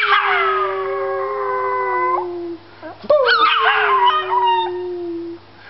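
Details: Puppy howl: a long, steady, gently falling note lasting about two seconds, a short pause, then a second howl that breaks into higher wavering yips before settling into a falling tone.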